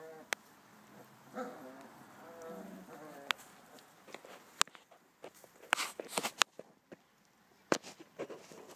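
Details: Five-week-old American Akita puppies from Wettiner Ken give a few short, harmonic whimpering whines in the first seconds; sharp clicks, knocks and scuffling noises take over the second half.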